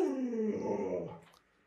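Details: Alaskan Malamute among several house dogs pressing around their keeper to get into the bed. It makes a rough, breathy moan that starts higher, falls and roughens toward a growly tone before trailing off.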